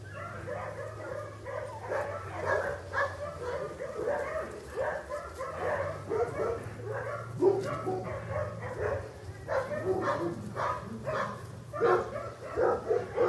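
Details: English Cocker Spaniel puppies born in August 2011 at a breeding kennel, giving a dense, overlapping chorus of short high yelps and whines in quick bursts, with several voices calling at once and a steady low hum beneath.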